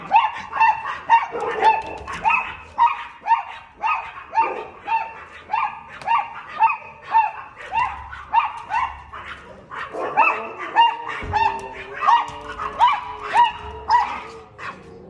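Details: A Chihuahua barking at a cat gives a rapid string of shrill, high-pitched yapping barks, nearly two every second.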